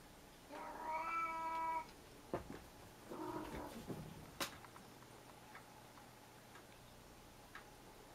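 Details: A domestic cat gives a clear, drawn-out meow lasting over a second, then a second shorter, rougher meow. A few faint taps and clicks follow in a quiet room.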